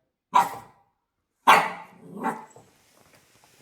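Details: A pet Shiba Inu barks at 6 a.m. in the morning: one sharp bark, then a second bark followed quickly by a softer yelping tail, ending in faint rustling.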